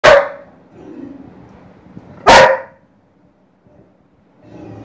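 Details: Dobermann angry at cat sounds played by an Alexa smart speaker, giving two loud, sharp, explosive barks a little over two seconds apart, with quieter murmuring sounds from the speaker between and after them.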